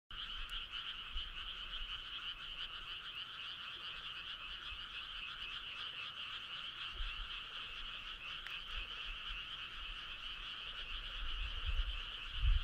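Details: Frog chorus on a midsummer night along a starry country road: a dense, steady trilling drone of many callers in two bands, one mid-pitched and one higher, with faint low rumbling and occasional thumps near the end.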